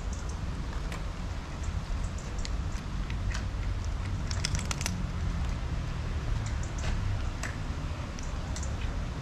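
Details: Steady low rumbling noise indoors with scattered crackles and clicks, and no animal voice heard.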